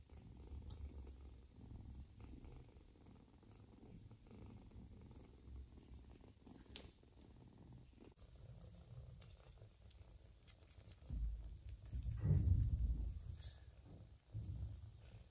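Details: Mother cat Joanna purring while nursing a little ginger foster kitten after first refusing it; a soft, low, continuous rumble swells briefly around twelve seconds, with faint rustling and small clicks throughout.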